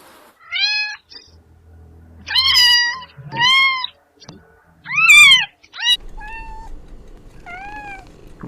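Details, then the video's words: Kittens meowing indoors at home: a series of about six clear, tonal meows, rising then falling, some short and some drawn out, with a faint low hum in the background. "Sounds of cats##meowing in home"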